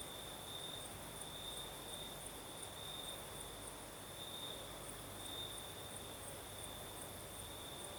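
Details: Crickets sing through a southern Crimean night, their even high trill steady throughout, a faint pulsed shimmer above and gentle breeze hiss below.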